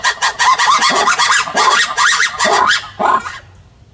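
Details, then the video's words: Black-and-white ruffed lemur giving a dense, raucous burst of overlapping harsh cackling barks that ends abruptly after about three seconds, followed by near silence. "Black and white ruffed lemur seen and heard / Schwarz weißer Vari gesehen und gehört"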